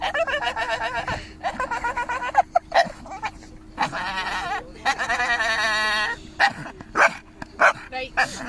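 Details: Staffordshire Bull Terrier chattering away in wavering, yodel-like moans delivered in short bursts of rising and falling tones, with a person's laughter and music in the background.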